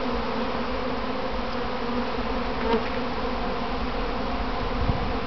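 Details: Honey bees from a kept hive during a practice swarm, recorded while standing among them as they clump on their box: a dense, continuous low hum of many wings, steady throughout with no breaks.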